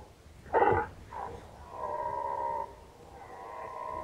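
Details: Red deer in rut, 2019, Nationalpark Unteres Odertal. A sharp, loud grunt opens, then moderate, steady moaning roars hold two drawn-out tones separated by a short pause.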